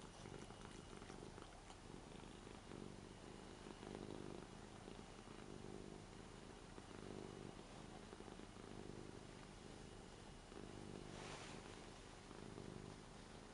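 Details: On a new bed indoors, Lara, an 8-year-old Ragdoll who usually dislikes being touched, purrs while petted. A long, even, low rumble rises and falls in slow breath cycles about every second and a half.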